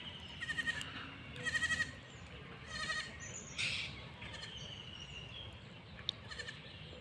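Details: Farm goats grazing beside a pond in a Bangladesh village, giving three wavering, nasal bleats in the first three seconds, each under half a second long. Brief high bird chirps and a quiet outdoor hum follow.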